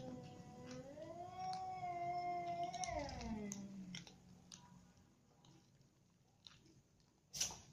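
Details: Domestic cats, a mother with a ginger cat, kittens and a baby kitten, having dinner together; a long drawn-out meow with rich harmonics holds steady, then slides downward over about three seconds, followed by faint clicks and a sharp noise at the end.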